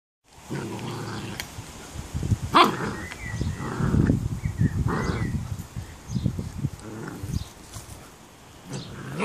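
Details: Excited eleven-week-old female Standard Schnauzer puppy reacting to a bird feeder she hates: low rumbling growls in uneven bursts, with a few short yips and brief higher whines between them.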